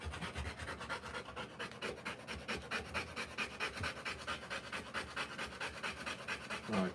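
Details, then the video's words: Rottweiler mother giving birth, panting hard in a steady train of breathy puffs, roughly two per second, with a soft voice and a small squeak near the end. "Rottweiler Puppies Live Birth."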